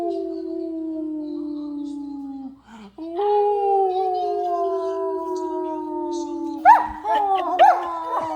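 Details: Excited nine-month-old German Shepherd howling as a man comes home from work: one long sustained howl drifting slowly downward, then higher yelping whines near the end.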